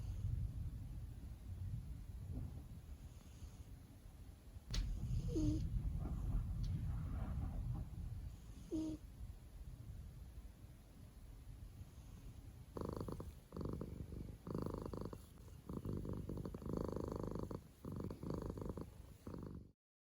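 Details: Mouse, a female pet cat napping at home beside her owners, snores softly while asleep and dreaming: a low, quiet rumbling breath at first, then a run of short, breathy, rhythmic bursts in the final seconds, indoors in a small room.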